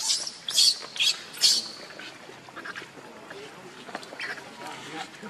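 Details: Baby monkey Leo, hungry and crying to beg his mother for milk: three loud, shrill squealing cries in the first second and a half, then softer high squeaks under a murmur of voices.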